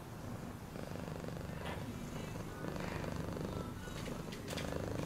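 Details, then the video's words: A cat purring continuously, a low rumbling throb with fine rapid pulses throughout, slightly louder toward the end, with faint rustles and soft scratchy noises above. "Cat purring sound"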